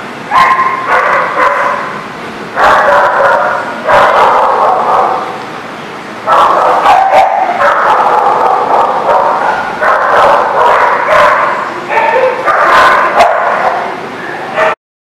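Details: Recorded 11/1/19 at The Barking Lot: near-continuous chorus of dogs barking, harsh repeated woofs and yips overlapping with only brief pauses, ending abruptly.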